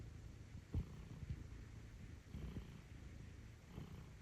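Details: Stitch, a pet cat, napping after a long day of kneading, gives soft low rumbling snores with a few faint louder breaths in a quiet room.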